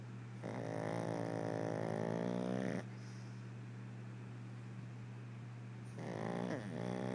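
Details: Pug snoring while asleep with its eyes open indoors: long raspy, buzzing breaths of about two and a half seconds each, a quiet pause between them, then the next snore beginning, over a steady low electrical hum.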